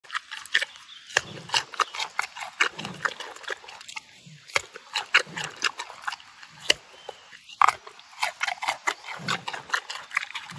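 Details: Giant panda eating a carrot, close up: a dense run of sharp, crunchy chewing clicks and snaps, several per second, with softer wet mouth sounds between bites.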